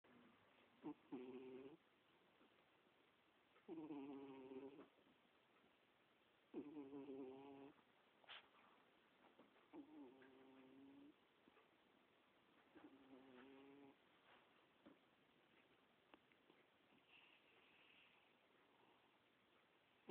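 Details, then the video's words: Domestic cat snoring while asleep: four raspy, buzzy breaths, each lasting about a second, come every three seconds or so, then fade to fainter, softer breaths with low background hiss. "Snoring Cat"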